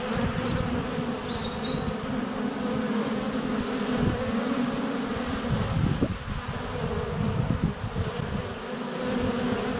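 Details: Honey bees in flight at the hive entrance on a sunny February day, GoPro Hero 7 Black placed under a foot away; steady droning wingbeat hum, a short high birdsong phrase early, and a sharp tap around six seconds.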